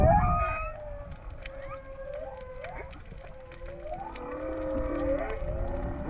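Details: Whales recorded underwater while freediving off Hawaii give long, wavering moans that slide up and down over a low rumble of water.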